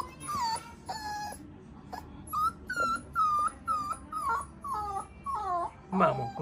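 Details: Golden Retriever puppy on its first steps, whining in a string of about ten short, high, tonal cries, some bending downward at the end, with soft background noise from a small room.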